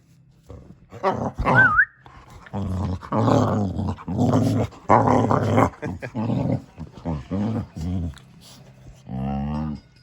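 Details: Samson the Boxer dog producing choppy, growly grumbles in short bursts, with a quick high squeak near the start and a brief whiny moan at the close.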